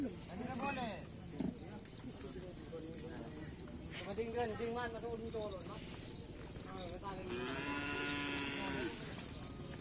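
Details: Black bulls in karapan sapi race training at the Asemanis field, Pamekasan, give short, wavering lowing calls partly buried under a busy outdoor din of voices and clatter, with a clearer sustained moo near the end.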